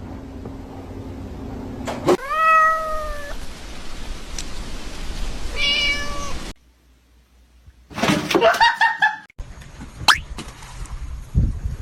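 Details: Pet cat meowing in a funny compilation: a long, clear, slightly falling meow, then a shorter meow near six seconds, followed by scuffling, a cut, and a harsher mixed sound with clatter and background noise.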